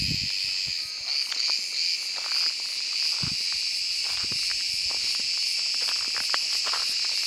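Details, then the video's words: Continuous rasping drone from a cicada among summer trees, sung through the warm part of the day, slightly pulsing at the start, with faint taps and a low bump in the background. "Ağustos Böceği sesi - Cicada voice"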